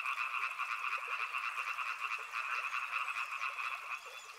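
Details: Short burst of a frog chorus: many frogs croaking at once, dense pulsing rattle in two stacked bands, loudness rising and falling in quick waves.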